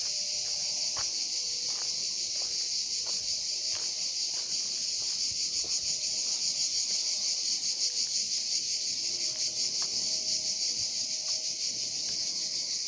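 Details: Summer cicada chorus in Drôme and Ardèche, France, males calling in daytime heat to draw females; an unbroken, shrill, sizzling drone with a fine rapid pulsing and faint low clicks scattered underneath.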